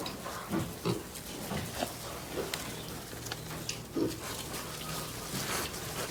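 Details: Pig grunting on a farm: short, soft low grunts scattered every half second to a second, some doubled, over a steady hiss of background noise.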